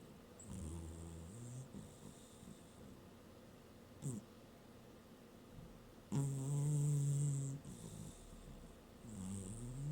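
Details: Domestic cat napping on a working desk, snoring: low rumbling in-breaths paired with airy hissing exhales, a long loud snore in the middle of the clip and quieter ones before and after.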